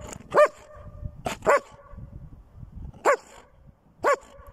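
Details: Female dog giving four short, ringing barks, each rising then falling in pitch, two close together, then a pause, then two more spaced about a second apart, over a quiet background with faint rustling.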